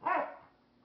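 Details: Dog indoors barking in disapproval at a Flying Monkey toy; one short, sharp bark that fades quickly into a quiet room.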